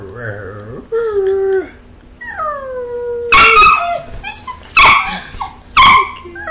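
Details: Belgian Malinois puppy talking to its owner: wavering, then falling whine-howls that slide downward, followed by louder, broken yelping howls, with a man's voice faintly underneath.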